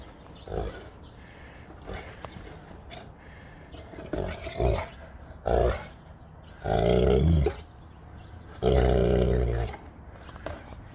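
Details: Saint Bernard puppy Max playing outdoors in 25-degree cold: short, low, rough growling bursts at irregular intervals, with two longer harsh bursts near the end, a person speaking softly in between.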